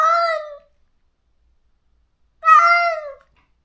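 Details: Stray cat in a countryside yard, crying daily after neutering for the close companion it was forcibly separated from. Two loud, harmonic meows: a short falling one, then after a two-second silence a longer drawn-out wail.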